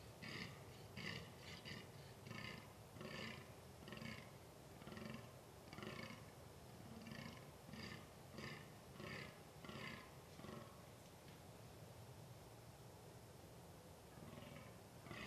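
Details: Fallow deer groaning in rutting season, 2 November 2013, wild. A rapid run of rough, deep belching grunts, some paired, repeats steadily for about eleven seconds, then a pause and one more grunt. Steady hiss underneath.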